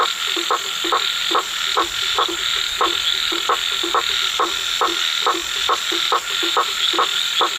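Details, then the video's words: A frog keeps calling in the night, each note a short knocking croak, about 140 per minute in a fairly even train, against a dense, unbroken buzz of insects. "CALLING FROG_suara kodok memanggil suara kodok dimalam hari"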